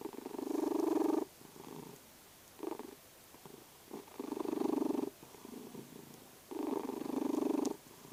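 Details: Vasya, a sleeping domestic cat that snores and purrs, gives low rumbling bursts about a second long, each followed by a quiet pause, in a slow breathing rhythm indoors.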